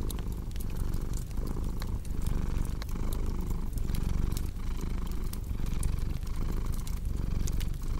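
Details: Cat purring in a steady rumbling rhythm, pulses arriving about every half second, while a fireplace crackles and snaps in the background.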